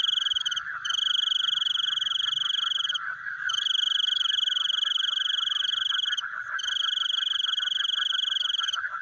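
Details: Night-time frog calls, fast buzzing trills that run for two to three seconds, stop briefly, then resume, with a constant chorus humming beneath throughout.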